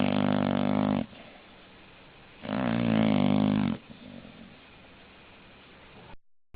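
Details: English bulldog, a pet breed, snoring indoors: two loud, rough, low buzzing breaths about a second long each, separated by quiet pauses, with a softer breath following.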